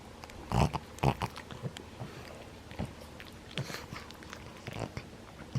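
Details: Nine-year-old pug Maria at play in Japan, January 2020, gives short low grunting growls and snorts, loud bursts near the start then softer scattered huffs indoors.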